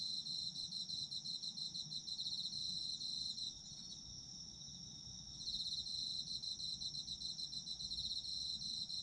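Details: A shrill, unbroken high tone from autumn insects, with a fast rhythmic trill layered on top. The trill pauses from roughly second four to five and a half, then comes back strongly. Muffled low background noise.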